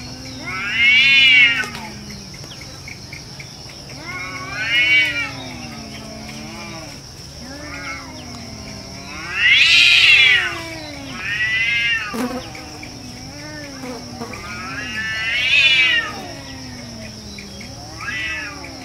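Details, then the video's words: Cats fighting in a jungle: long, wavering caterwauls with rising and falling moaning yowls that swell into loud screeching peaks roughly every five seconds, over a steady high insect whine. "cat fight in jungle"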